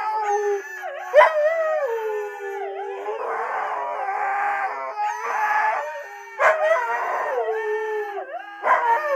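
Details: Husky of the Siberian breed producing a series of sliding, wailing howl notes with swooping pitch dips and rough, grumbly passages, several separate phrases across nine seconds.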